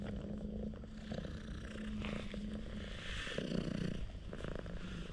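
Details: A stray cat rolls over and seeks affection, purring very loudly. The purr is a steady, low, rumbling drone throughout, with some rustling. Filmed on an action camera.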